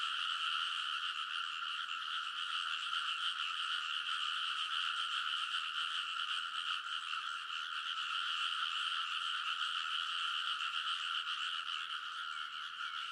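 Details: Rice paddy frogs in Kōnosu, Saitama, Japan, calling together late at night in early summer, TASCAM Portacapture X8 recording; a thick, constant chorus of croaking pulses holds steady throughout, nothing else audible.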